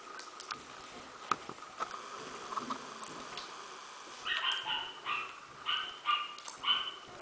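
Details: Fourteen-day-old Smooth Fox Terrier puppies from a kennel litter; after a quiet rustling start, a run of thin, high whines and squeals repeats roughly every half second near the end.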